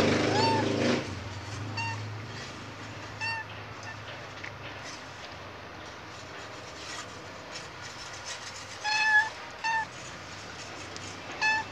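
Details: Khao Manee cat about to give birth, restless and meowing again and again, a sign that labour is near. Opens with a loud low rumble, then short harmonic meows spaced a few seconds apart, a quick pair near the end, over steady background hum.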